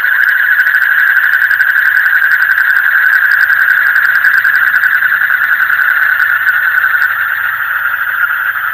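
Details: At night, frogs keep up a dense, vibrating chorus: fast pulses blur into a constant shrill hum, loud and unchanging, easing off slightly near the end.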